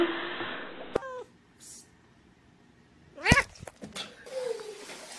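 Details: Domestic cat in a funny-cats compilation giving short harmonic meows, one sliding sharply downward, then a louder strained cry and a falling drawn-out mew, with rustling and other background noise between calls.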